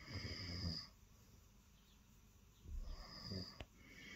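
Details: Early-morning purring from Lilo, a female cat sitting on the bed and wanting attention; a deep, rumbling surge opens the moment, a hush follows, then another breath-paced rumble returns, all close and intimate indoors.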